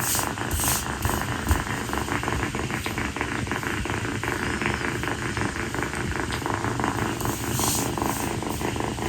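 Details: Kii, a rescued female calico kitten, purrs on her owner's feet on a hot tropical night after playtime. A dense, continuous low rumble with fine pulsing fills the clip, blurred by broadband indoor hiss.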